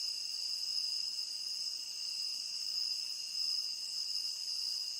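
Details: Crickets in a tropical rain forest, a continuous high shimmering trill holding steady bands without pause, gently swelling and fading in loudness; no other sounds stand out.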